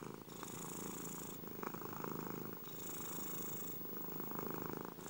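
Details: A cat's relaxed purr, rumbling continuously with a distinct breathing pattern: harsher, hissier exhale passes about every two and a half seconds alternating with mellower inhale phases.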